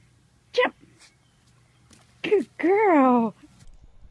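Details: Goat from a compilation of funny 'talking' goats: a short sharp cry, then a brief call and a drawn-out, slightly wavering bleat that slides downward over about three quarters of a second, with a low steady hum behind.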